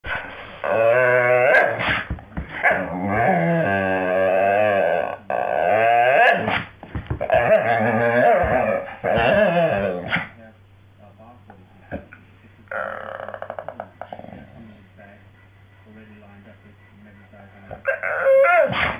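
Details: Staffordshire Bull Terrier Jo, lying as if stapled to the floor, singing in long wavering harmonic moans that rise and fall over several phrases, then quieter grunts and a last short outburst.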